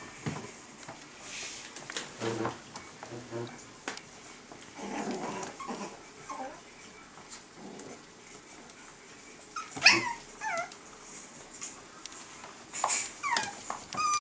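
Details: Two 7-week-old Norwich Terrier puppies indoors; short high whines and whimpers come in scattered bursts, with a few sharp clicks and human speech in the background of a small room.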